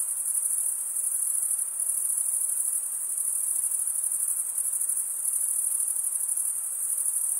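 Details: Continuous shrill cricket chirping, produced by males running one wing across the serrated vein of the other; an unbroken high-pitched pulsing drone with small rises and dips in volume, nothing else audible.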